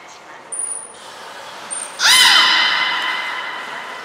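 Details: During a beluga training session with Nana, Mirai and Niko at Port of Nagoya Public Aquarium, January 2021, a short high tone sounds twice before a sudden rising, harmonic squeal that holds steady and fades over two seconds.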